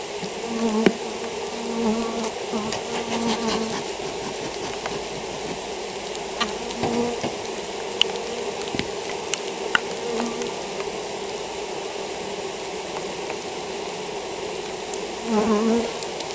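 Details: Honey bees in a colony sick with European foulbrood hum continuously in a low, steady drone. Louder whining passes come and go, especially at the start and near the end, with light tapping between.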